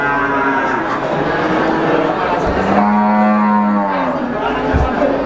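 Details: Brahman breeding cows at the Sumberlawang cattle market, Sragen, 2018: one deep, sustained moo in the middle stands out among fainter overlapping calls, with muffled thumps and steady crowd murmur behind.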